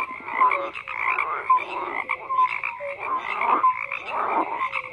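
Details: Frogs croaking, loud rasping bursts roughly every second over a constant background chorus, with small clear whistles slipping between the harsher calls.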